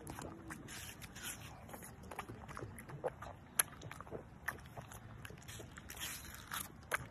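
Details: Tiffany, a pug three weeks after liver shunt surgery, eating watermelon indoors; wet munching and chewing with clicks and smacks scattered irregularly, brief snuffling breaths between bites.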